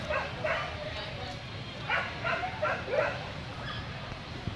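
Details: Short sharp barks from a Corgi at a Vietnam dog show: a pair, a pause, then a quicker run of four, set against a background of people talking.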